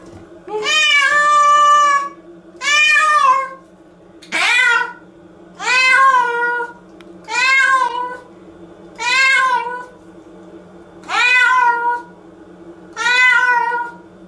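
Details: Nora, a pet cat, cries in protest while being washed in the shower indoors; eight loud, drawn-out harmonic meows, each bending up then falling, repeat about every one and a half to two seconds over a steady low hum.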